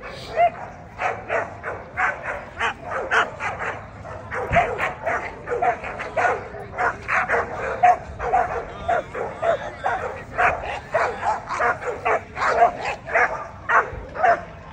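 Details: American Pit Bull Terrier, 12–18 month female class, at the 2024 ADBA Tristate conformation show: steady, rapid barking, close to two barks a second and continuing throughout, with a constant indoor crowd hum beneath.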